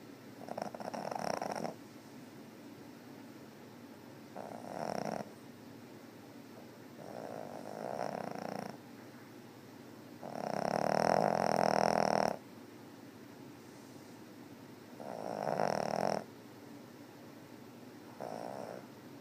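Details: Meena the cat snoring on 18 August 2013: steady, raspy snores come roughly every three seconds, each a rough, droning breath, one louder and longer than the rest, over a constant low background hum.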